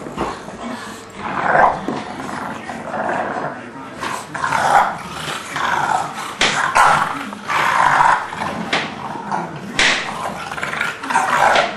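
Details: An English Bulldog and a three-month-old English Mastiff pup named Forest play together, with rough growling and snorting bursts coming in irregular runs. People talk over much of it.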